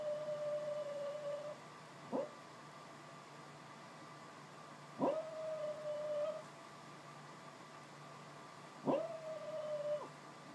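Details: Female dog dreaming of chasing squirrels, asleep indoors, lets out soft, drawn-out level whines, each opening with a sharp catch, repeated roughly every three seconds over low background hum.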